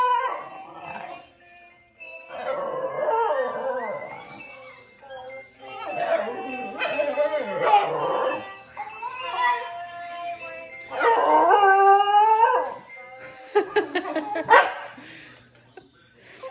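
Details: A Basenji gives its wailing baroo, a warbling, yodel-like howl that swoops up and down in pitch.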